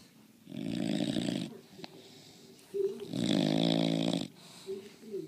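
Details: A sleeping bulldog snores very loudly indoors: two long, harsh, rasping breaths about two seconds apart, each lasting roughly a second, with a quieter snuffle between them.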